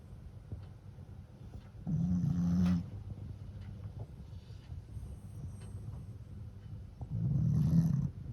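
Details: A Shih Tzu × Pekingese cross, a flat-faced dog named Fran, snores while asleep after tiring itself out with lots of play; two loud, low, rumbling snores about five seconds apart over quiet breathing.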